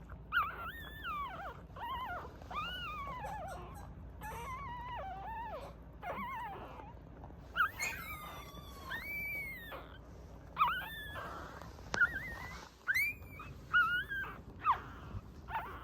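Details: Mame Shiba dog whining in a long, varied run of high, tremulous whines that rise and fall, with sliding, wavering tones and brief squeaky yelps in between, against a quiet indoor background.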